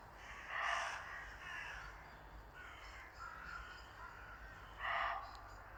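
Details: Barks of a muntjac deer heard on a winter woodland walk in Worcestershire, England: a sharp, hoarse bark, several weaker ones, then another strong bark about four seconds later.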